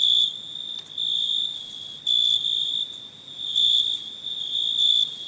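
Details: Cricket singing in loud, high, ringing bursts of about half a second, roughly one per second, separated by softer continuous trilling.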